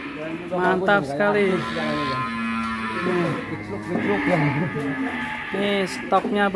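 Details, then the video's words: Young thick-necked bull kept in a pen at Duta Farm 61 in Kuningan, West Java, gets agitated and lows in drawn-out, wavering moos, with people talking and faint music behind. "SAPI LEHER BETON NGAMUK DI KANDANG"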